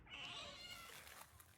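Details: A little stray orange cat calling from outside; a single drawn-out, high, slightly wavering meow, then quieter faint sounds.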